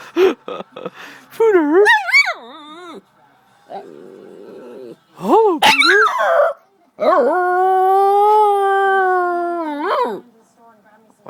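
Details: Domestic dog that dislikes a nickname, answering a person's repeated hellos with short yips, then wavering, rising-and-falling whine-howls and a long sustained howl lasting about three seconds.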